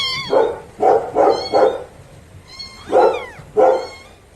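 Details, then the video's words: Newborn kittens of the domestic cat giving five fuller, lower mews in two bursts, three quick calls then two more after a pause, with a faint background hiss. "Cute Newborn KITTENS MEOWING Baby Kitten Meowing Sound Effect"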